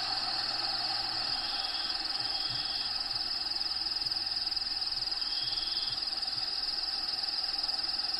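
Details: Inside a bearded dragon vivarium with Diego, crickets give an unbroken high-pitched pulsing trill, very even and fast, with short faint whistle-like notes drifting in and steady hiss behind.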